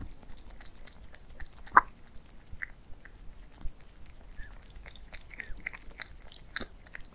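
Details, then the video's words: Two cats eating indoors, recorded as relaxing ASMR: crisp crunching bites and wet chewing clicks come in quick irregular bursts, growing denser toward the end, with one sharp loud crunch early on. "CAT EATING MUKBANG"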